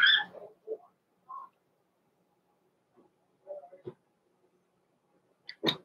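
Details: Blenheim Cavalier King Charles Spaniel puppies, Roman and Blue, from Pom-Pom's small litter born November 14, 2022, in an indoor puppy pen at Christmas. Brief high squeaks and whimpers come in short bursts, with soft clicks and a sharp knock near the end.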